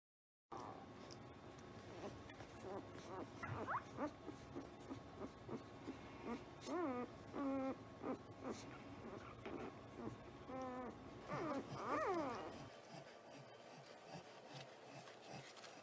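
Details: Caucasian Ovcharka puppies, somewhere between birth and seven weeks old, give high, thin whines that rise and fall in scattered bursts, clustered around four, seven and twelve seconds, over a low background murmur.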